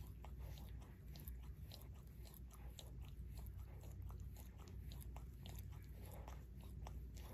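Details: Barry, a Shorkie living with his adoptive family for two years, laps at his paw with rapid sticky clicks and smacks, dense and continuous, over a soft low-frequency room drone.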